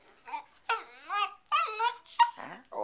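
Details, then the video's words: Pet dog on a bed, sassy and vocalizing at its owner, who asks whether it wants to get down: several drawn-out, whiny, wavering yowls with rich harmonics, one after another, with a woman speaking softly in between, indoors. "Sherlock barking at me on the bed"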